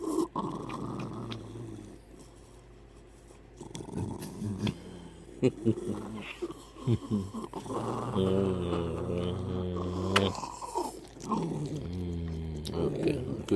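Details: Hercules, a pet dog moody in the morning but fond of hugs and kisses, makes drawn-out, moaning grumbles with rising and falling tone, mixed with clicks and a person's soft voice nearby.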